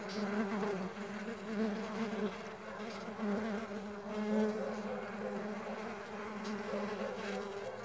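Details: Stingless bees at a bee farm giving a steady, low droning buzz with a slightly wavering pitch, continuous throughout with gentle swells in loudness.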